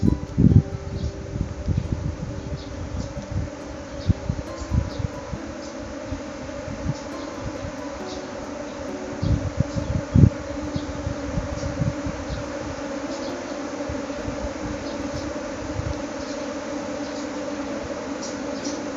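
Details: Dwarf honey bee swarm abandoning its nest to flee disturbing noise; a steady droning hum with layered tones, continuous throughout, broken by loud low thumps of wind or handling.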